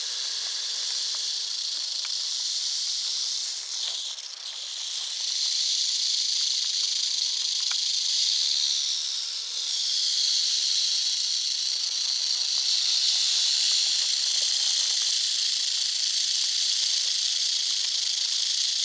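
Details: North Florida eastern diamondback rattlesnake rattling in a continuous dry, sizzling buzz that dips briefly in loudness twice, near four and nine seconds, then resumes at full strength.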